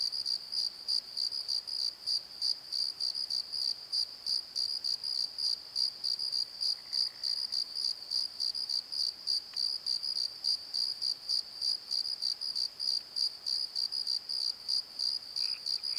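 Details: Crickets at night in a valley bottom, a steady train of shrill pulsed chirps about three a second, overtone band above, with faint brief lower sounds appearing now and then in the background.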